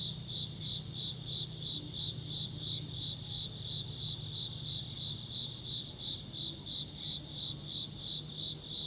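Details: Chirping insect producing evenly spaced high pulses, roughly three each second, over a constant shrill drone and a faint low rumble throughout.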